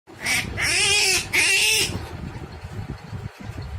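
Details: A forest rabbit gives three loud, shrill, wavering cries in quick succession.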